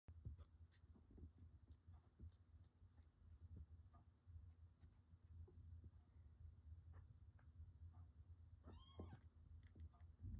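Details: Two-week-old Norwegian Forest Cat kittens of one litter: a single thin, high mew over a steady low rumble.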